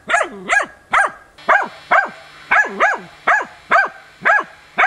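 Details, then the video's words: Training session on wild boar, 6 March 2013: a hunting dog holds young boars at bay with stubborn barking, around eleven sharp, pitch-arched barks in five seconds, some paired closely, others evenly spaced. "odlicno goni i uporno oblajava d.nazimad"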